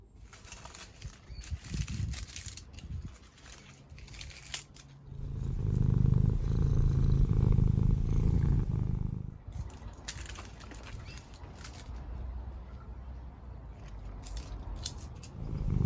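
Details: Domestic cat, a neighbour's cat visiting a cottage garden in the English countryside, purring: a low, steady rumbling hum beginning about five seconds in and lasting some four seconds, loudest midway, with quieter rustling and handling noises before and after.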